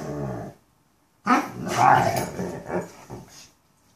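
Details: Mastiffs 'talking': a short low moan, then after a pause a rough, growly, grumbling outburst lasting about two seconds that wavers and fades.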